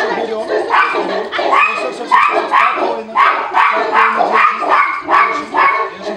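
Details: Tibetan Mastiff under a protection test at a Russian kennel, Nasledie Tibeta, facing a stranger it has never met: loud, repeated barks in quick uneven bursts, mixed with men's shouted encouragement.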